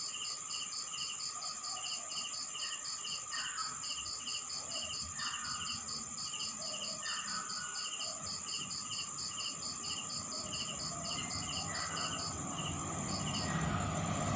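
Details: Nighttime chorus of crickets in a Philippine rural town: steady high pulsed chirps with a second, slower trill beneath and a continuous whine; a low rumble, like a passing motorcycle, swells near the end.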